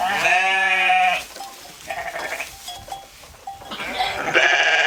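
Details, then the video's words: Sheep grazing in a field, bleating: one loud, wavering bleat lasting about a second, a quiet stretch with soft short tones, then a second harsh bleat beginning near the end. "Sheep Bleating"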